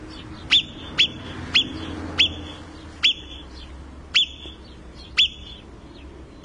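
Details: A marmot in the Italian Alps gives sharp, piercing alarm whistles, repeated every half second to a second.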